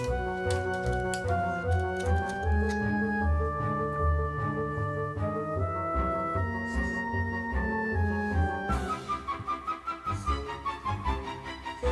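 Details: Only instrumental music with flute-like melodies and steady low bass notes is heard, with no animal sound. The piece carries on throughout without any dog, snoring, or other creature audible beneath it.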